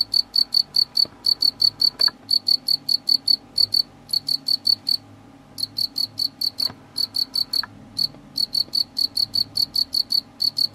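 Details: Pet house cricket chirping steadily, a rapid train of short bright high-pitched pulses roughly four per second, broken by a few short silent gaps, over quiet indoor background hum.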